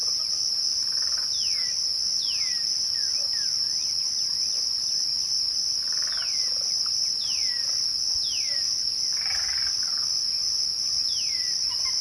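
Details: Crickets trilling at dusk in one continuous high, even drone. Widely spaced downward-sliding bird whistles come every second or two, with a few soft lower calls.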